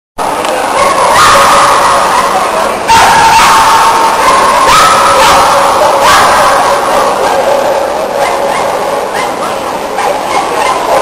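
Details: Brazilian Shetland Sheepdog during a team agility run at the A&C2008 event in Argentina, finishing clean; sharp barks burst out every second or two over loud, constant crowd and arena din with tonal whistles.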